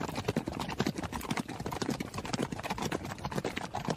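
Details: Hooves of a running horse pound in quick succession, roughly two strikes per second. Each thud is short and broad, and the footfalls come unevenly grouped.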